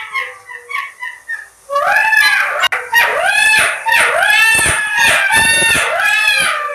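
Jackals break into a loud chorus of wavering, rising-and-falling wails after a few thin opening yelps.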